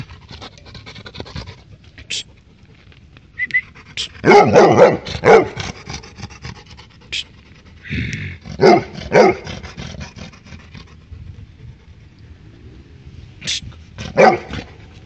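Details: A Labrador Retriever gives loud, harsh barks in short clusters, separated by quieter pauses, barking at a stray dog.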